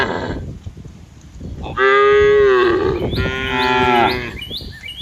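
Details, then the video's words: Cows from a herd grazing in open green fields. After a quiet start come two drawn-out, deep, harmonic moos. The first slides slightly downward, and the second is steadier and slightly softer. "Funny Cow Sounds Cows Walking Through Green Fields - the sound of cows in the middle of the fields"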